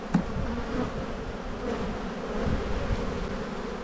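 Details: A low, even hum of many honey bees at an open hive during a spring inspection. The drone is steady and unbroken, with no voices, only faint handling noises.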